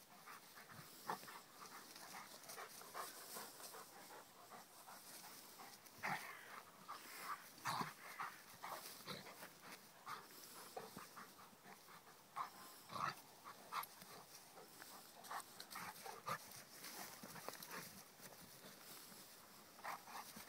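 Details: Rhodesian Ridgeback called Kheelo playing with his friend Triton: quiet panting and short huffing, breathy bursts, some with brief whiny tones, come irregularly throughout. A few louder snorts stand out.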